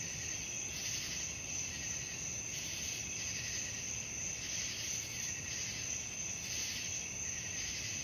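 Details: Chorus of crickets at night meant for relaxation before sleep: a sustained shrill trill at high pitch, with softer pulsed chirping beneath swelling about once per second.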